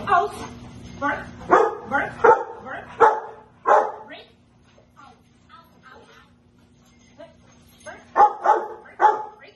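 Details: Rottweiler during protection bite work with its owner in a basement, 24 March 2021, loud deep barks in rapid bursts, then a pause of several seconds before another run of four barks, over a steady low electrical hum.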